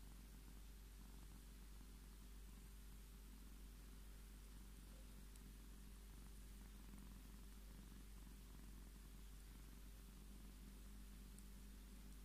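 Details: Scottish Fold cat named Tommy purring steadily while demanding his petting indoors, a low continuous rumbling throb with a pulsing rhythm of roughly two cycles per second throughout, faint hiss in the background.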